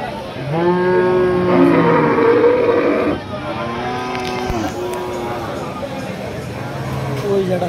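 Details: Friesian cattle at a large cattle market: two long, drawn-out harmonic moos, the first loud and steady for about two and a half seconds, the second shorter and falling, over background music and men talking.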